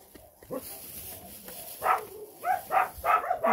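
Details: Old Rottweiler living in an animal shelter in Kyiv region, Ukraine, giving a series of short whining, yelping vocalizations toward the end while a woman talks softly to him nearby.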